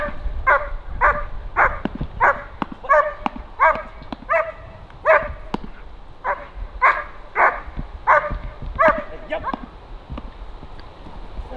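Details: German Shepherd showing stress resilience and nerve strength in training, barking in a steady rapid series of about seventeen sharp, loud barks, roughly one every two-thirds of a second.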